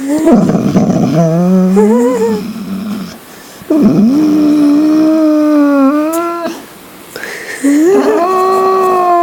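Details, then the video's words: A dog making weird noises indoors: drawn-out, tonal howling whines that rise and bend in pitch, in three long phrases separated by short pauses. "Rockdog making weirdo noises"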